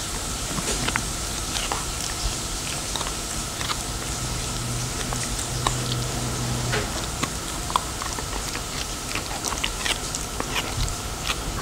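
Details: Pet Labradoodle gnawing on a dental chew indoors after being handed it; crisp, irregular crunches and clicks follow one another several times a second, with a faint low hum underneath.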